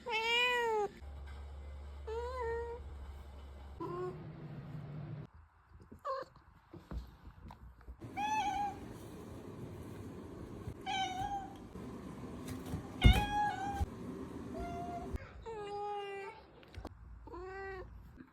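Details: Pet cat indoors, giving a series of short, slightly rising and falling meows, several in quick succession, with a low hum in the background and brief clatters.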